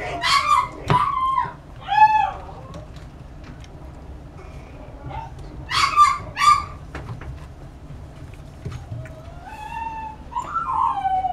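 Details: Chihuahua puppy giving short, high, sharply falling yelps in bursts near the start, middle and around six seconds, then drawn-out rising and falling whines toward the end, against a quiet indoor background.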